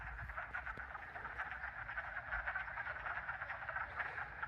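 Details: Hundreds of wood frogs call in spring during the mating season at a vernal pool, swimming at the surface. Their dense chorus is a steady mass of rapid, duck-like clucking croaks made to attract mates.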